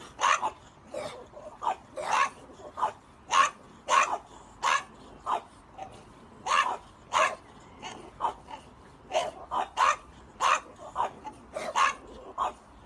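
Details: Rapid, uneven run of barks from a French Bulldog, around twenty short yaps in thirteen seconds, some coming in quick pairs, with little other sound.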